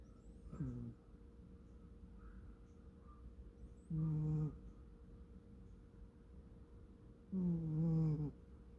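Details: American Shorthair cat Kkomi snoring while asleep at home: three deep, buzzy snores, the later two longer and louder, coming every three to four seconds, with a soft hum between them.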